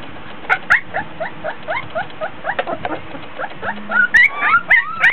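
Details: Three-week-old Border Collie pups in a whelping box, hot and tired during a play session: a run of short whiny squeaks in quick succession, growing louder and higher near the end with sliding whines.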